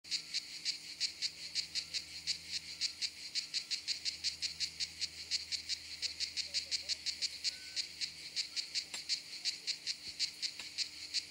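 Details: Kraakcicade, a common cicada of southern European countries, singing in high summer at a campsite in southern France; loud pulsed rasping chirps repeated rapidly, roughly three per second, with a steady hum underneath.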